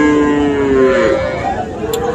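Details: Cattle at a market in Comilla, Bangladesh, on 13 September, where farmers buy small bulls and heifer calves; a long, steady harmonic moo that dips slightly in pitch before fading, over a murmur of crowd voices.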